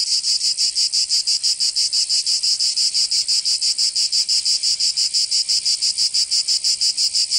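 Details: Provençal cicadas in summer, southern France: an intense, high rasping drone broken into very even rapid pulses, steady throughout with nothing else heard.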